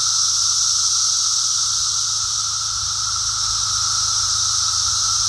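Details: A Brood X emergence chorus of periodical cicadas recorded on a walk: an even, continuous high-pitched buzzing wall of sound with a lower sustained whine, holding steady with no pauses.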